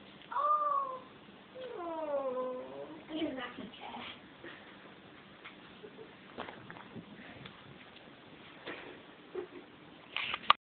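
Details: Merlin, a Bengal kitten who loves his cat tree, gives two drawn-out meows, the first a short falling cry and the second longer with a wavering fall, followed by soft indoor thumps and rustling as he tumbles.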